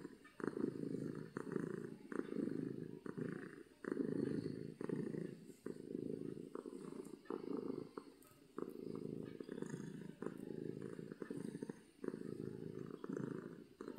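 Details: Happy domestic cat purring loudly from happiness: a deep, rumbling purr pulsing in steady breaths, roughly one inhale-exhale cycle every two seconds, with short clicks between phases.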